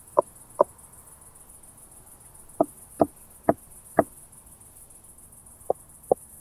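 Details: Meconema meridionale, the Southern Oak Bush-cricket, Starnberg, Germany, 7 August 2023, via ultrasound detector with noise removal: crisp isolated taps coming singly and in pairs or quick runs of four, irregularly spaced over a constant background hiss.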